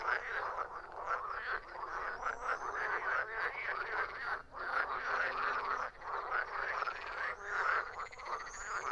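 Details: Chorus of many frogs croaking together, a steady wash of rattling, pulsed croaks with short lulls near the middle and end.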